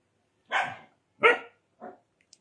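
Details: Indian desi dog barking: three short, sharp barks spaced about half a second to a second apart, the last one softer, followed by a faint click.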